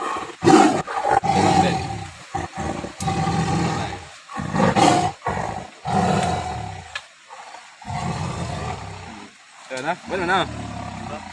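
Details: Trapped Sumatran tiger at Tapaktuan, South Aceh, one that had been preying on villagers' livestock, gives rough, throaty roaring bursts in quick succession, then fading growls, with brief human voices near the end.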